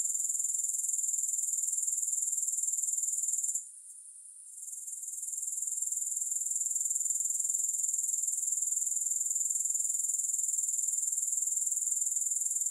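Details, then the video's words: Grasshoppers produce a continuous, shrill, very high-pitched trill with a steady pulse about four times per second, broken by one brief drop in loudness near the four-second mark; no music or other sounds. "3 Hours of Grass Hopper Sounds"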